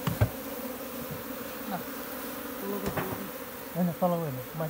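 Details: Wild honey bee swarm in jungle in Nepal, being caught by bare hands from a tree and moved into a hive. Steady low droning buzz throughout, with knocks and a man's voice near the end.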